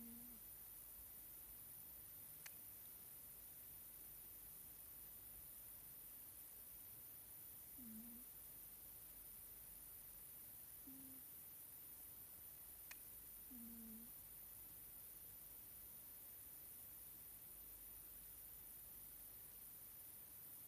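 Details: Scottish Fold cat Nelsik sleeps and snores in faint, low, whistled puffs, four brief dipping notes a few seconds apart, with two sharp clicks and a steady background hiss.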